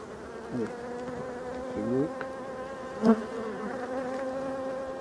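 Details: Black bees at a Voirnot hive in a forest, being put into winter quarters on 30 October 2021; even low humming drone with steady harmonic tones, a few sliding pitch sweeps and one sharp knock.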